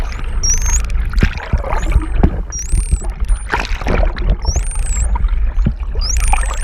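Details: Close underwater GoPro recording of a friendly Hawaiian false killer whale mother and calf off Oahu, Hawaii: bright, wavering high whistles, some looping up and down, sound every second or so amid bubbly water noise and clicks.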